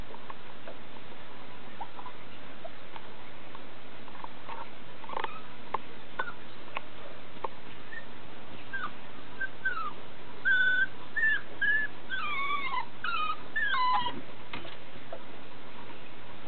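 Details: Blue-and-white female Italian Greyhound puppy whining: a run of thin, high, wavering whimpers that rise and fall over the last several seconds, after soft scattered tapping and knocks indoors.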